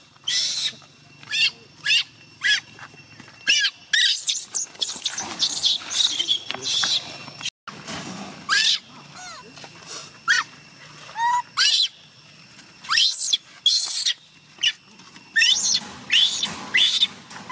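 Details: Young chimp Gina crying, begging her carer to stay rather than go home; repeated harsh, high-pitched screeches in uneven bursts, some longer wavering wails, with faint voices in the background.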